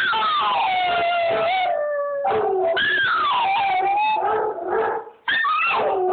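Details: Quiet little female dog with Chihuahua in her howling in response to another dog's howl heard from a recording: rising then sinking wavering howls, layered and overlapping, ending after a short silence with a fresh howl.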